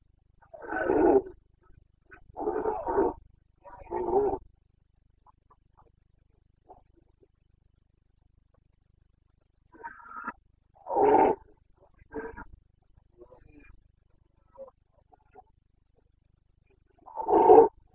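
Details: Carpathian red deer stag roaring during the breeding season in Bucovina, late September 2022: a burst of three hoarse, guttural bellows, then after a quiet gap further single roars spaced a few seconds apart, with no other clear sounds.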